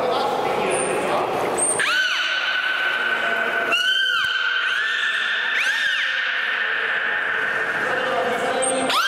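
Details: Beluga Mirai-kun at Port of Nagoya Public Aquarium during a public training session, calling through the hole in his head; long steady whistles with sharp rising onsets repeat, amid indoor hall echo and crowd murmur.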